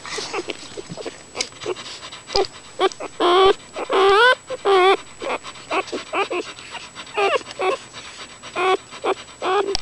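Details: Newborn puppies nursing, settling into contented sounds: a busy run of short squeaks, soft grunts and brief wavering whimpers, irregular and overlapping, about one and a half per second, with snuffling between them.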